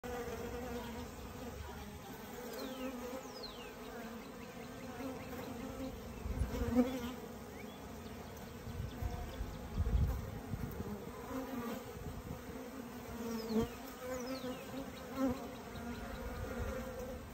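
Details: Honey bees of a kept colony while a beekeeper releases the queen back among them: a dense, steady droning buzz with low humming tones, swelling and fading, plus occasional handling thumps.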